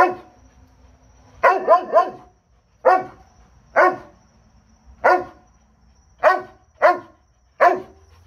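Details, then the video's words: Spartan the Doberman letting out a quick burst of three barks, then single resonant barks about a second apart, each sharp and deep against a quiet background. "Doberman dog Barking"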